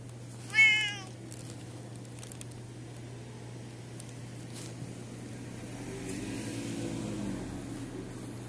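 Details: Orange cat with an oddly shaped mouth, living at a snack bar in an alley, recorded 8 January 2024; one short, loud, wavering meow near the start, then a steady low hum and faint street noise.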